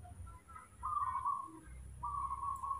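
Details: Mobi, a spoiled baby monkey kept and hand-raised at home, calling on waking in the morning after drinking milk: two steady, high, whistle-like whines, each lasting under a second, separated by a short pause, over a low room hum.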